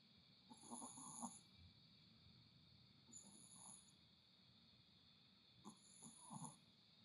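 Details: Happy, relaxed Chihuahua snoring softly, low breathy snores returning about every two and a half seconds, each paired with bright chime-like sparkle effects, over a steady high electrical hum.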